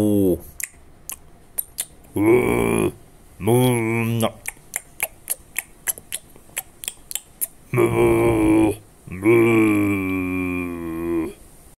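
A cow gives four short, deep moos, separated by sharp clicking sounds in a small room.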